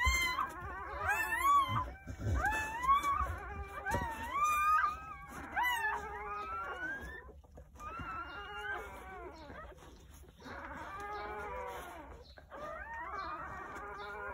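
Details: Fresh-born Jindo puppies crying on New Year's Day in a countryside home, one of nine pups delivered from 8:30 am to 1 pm; short rising squeaks at first, then quieter, longer wavering whines with gaps between them.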